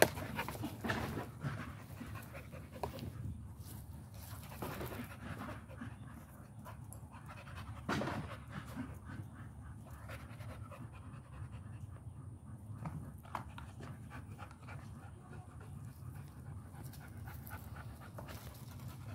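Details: American Pit Bull Terrier panting: rapid, breathy, noisy huffs repeated steadily through the recording, with a few louder puffs near the start and around eight seconds, over low rumbling background noise.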